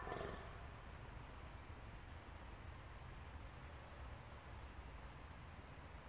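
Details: A rutting fallow deer buck, the only antlered male in a herd at a park deer enclosure in Arnhem, recorded 5 November 2014, gives a deep, hoarse groan to assert dominance.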